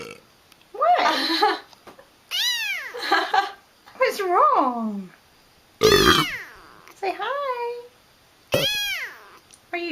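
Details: Kitten meowing over and over, each cry about a second long, some arching high, others wavering or dipping lower, with short gaps between them and a woman's coaxing voice nearby.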